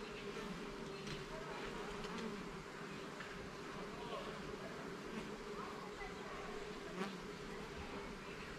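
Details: Honey bees at a garden hive opened for inspection of its levels and frames: a steady low hum holds through the whole stretch, with faint scattered ticks and brief higher buzzes from individual bees flying close.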